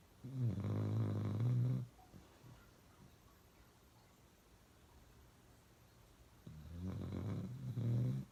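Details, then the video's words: Pet dog Uno snoring really loud: two long, deep, rumbling snores, each about one and a half seconds, separated by several seconds of soft breathing in a quiet room. "Uno Drinking Water and Snoring really loud"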